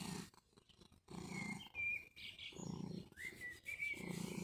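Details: Mjaullo, a cat met again when summer returns, purring close up in low rumbling bursts about every second and a half, with a bird's thin whistled notes above.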